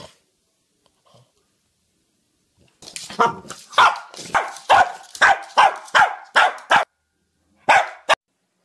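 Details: Charlie, a Cavalier King Charles Spaniel, bursts into a rapid run of about a dozen sharp, loud barks after a quiet start. The barks come in quick succession for four seconds, pause, then end with one more bark.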